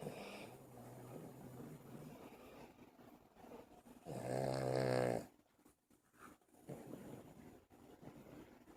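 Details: Buddy, a pet dog, snoring indoors: a low rattling, harmonic snore swells loudly for about a second midway, with quieter breathy snoring and soft room noise around it.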